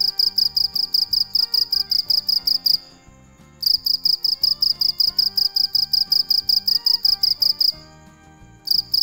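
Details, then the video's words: Dế mèn cricket singing at night in bursts of quick, piercing pulses separated by two short silent gaps, each burst steady and evenly spaced, with light background music throughout. "Tiếng con dế mèn kêu về đêm cực hay, sounds and pictures of crickets"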